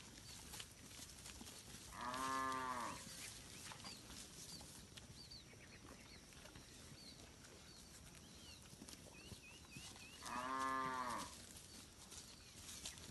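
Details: Herd of village cattle roaming a rice field while grazing; two drawn-out harmonic moos about eight seconds apart, with small birds chirping in the background between them.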